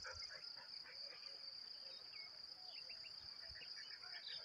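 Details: Crickets: a steady, high, unbroken ringing trill holds through the whole clip, with faint scattered chirps and soft background rustle beneath it.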